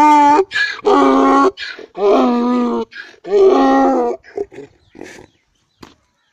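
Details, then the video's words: Loud crying of a young donkey in a village, three long, strained, rasping bray notes each lasting about half a second to a second, separated by short gasping intakes, then trailing off into softer grunts and quiet. "Smart Young Donkey Crying Loudly in Village"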